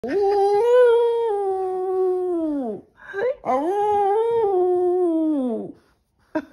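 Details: A Boston Terrier howls for belly rubs, giving two long, wavering howls, each sliding downward at the end.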